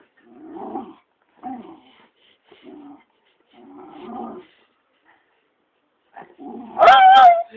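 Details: A dog jealous of a muppet: low grumbling growls in several short bursts, then a loud high whining yelp with a wavering pitch at the end.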